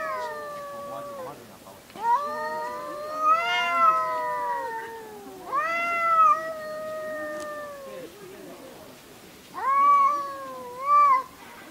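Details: Two-toned threatening yowls from cats in a fight, long wavering wails swelling and fading, grouped in bursts about every three to four seconds, with soft growling between them.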